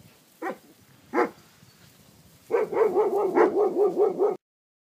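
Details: Young Maremma Sheepdogs: two separate sharp barks about a second apart, then a rapid, steady series of about nine yapping yips.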